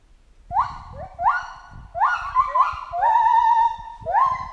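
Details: Chimpanzee in the jungle giving overlapping tonal cries, each starting with an upward sweep. One long, wavering held note stands out near the end.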